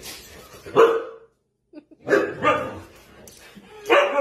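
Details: Chihuahua barking in a string of short, sharp, yappy bursts separated by brief quiet pauses, from a compilation of funny dog moments, with faint room noise between barks.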